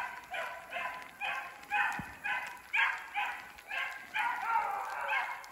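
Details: Two running beagles, Rio and his sister Ripley, trailing a snowshoe hare in a snowy block of woods as sleet mixes into rain; steady, rhythmic baying repeats about twice a second, nasal and ringing, with a soft wet background hiss.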